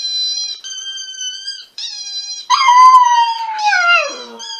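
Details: Siberian Husky letting out a loud howl that starts high, holds steady, then slides slowly downward, preceded by sustained thin, high whining tones.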